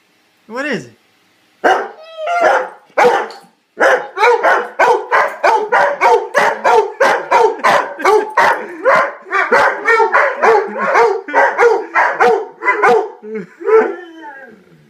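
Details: Dogs barking: a few separate sharp barks open, then a rapid, steady run of loud barks, close to two per second, for about ten seconds before tapering off. No other clear sounds.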